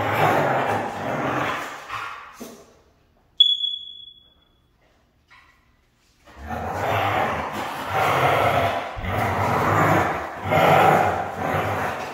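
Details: Hard-to-train Siberian husky voicing grumbling, raspy drawn-out calls, then a pause broken by a sharp high squeak, before resuming with a series of rough, wavering moans roughly once a second.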